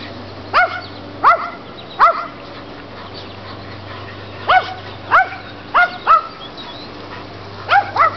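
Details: During their everyday game with the neighbour's dogs, a Chihuahua and a Rottweiler among them, single sharp upward-bending barks come in short clusters, separated by quiet gaps over a low constant hum.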